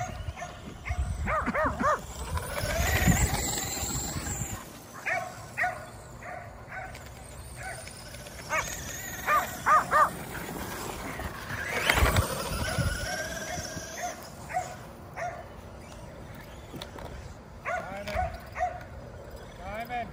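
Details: Five Kerry Blue Terriers barking as they run after a remote-control car; irregular sharp barks throughout, interrupted twice by a loud rushing engine whine as the car passes.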